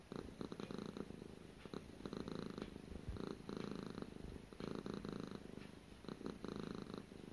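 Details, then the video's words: Gara, a domestic cat, purring during her daily routine: a low, throbbing rumble in steady breathing cycles, each burst of fine rapid pulses separated by brief quieter gaps, about seven cycles in a quiet indoor room. "Relaxing Cat ASMR"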